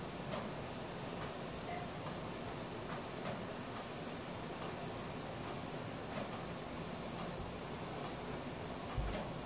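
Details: Nighttime cricket chorus recorded with a Samsung Galaxy S4, an even, high-pitched pulsing drone without pause, over soft low background noise and a brief thump near the end.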